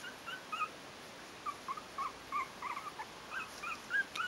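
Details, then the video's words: Yorkshire terrier puppies, four weeks old, from the Stellar Garden kennel's A litter: faint, scattered high whimpers and squeaks in short bursts over a steady background hiss. "Szczeniaczki Bijou w wieku 4 tyg."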